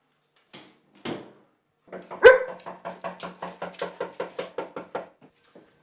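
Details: Female German Shepherd barking to protect the house and garden from perceived dangers while a trainer works on her confidence. Two isolated barks, then a quick run of about fifteen short barks at a steady pace in a quiet room.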